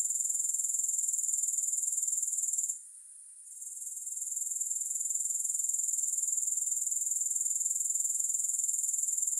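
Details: Grasshoppers trilling with no music: a bright, high-pitched rapid buzz at about four pulses a second, briefly fading out midway before climbing back to an even, sustained drone.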